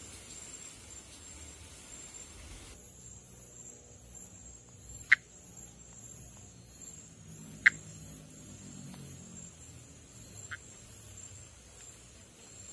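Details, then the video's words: Monkey tree frog, Pithecopus nordestinus, of northeastern Brazil, calling and in amplexus on foliage above water. Two short clicks come a few seconds apart, followed by a fainter third. A pulsing high insect chorus and soft low rumbling fill the background. "Vocalização e amplexo de Pithecopus nordestinus"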